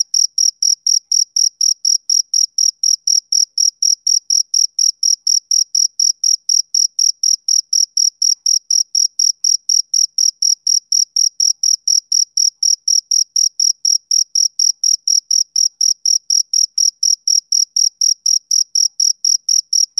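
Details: Rhythmic chirping from a male cricket on a summer evening, high thin pulses following one another quickly and evenly for the whole stretch, nothing else audible.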